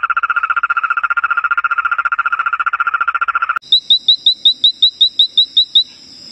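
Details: Frog calling: a steady mid-pitched pulsed trill of about nine pulses per second lasts several seconds, then gives way to a run of short, sharp, high chirps repeated roughly twice a second over a faint background hiss.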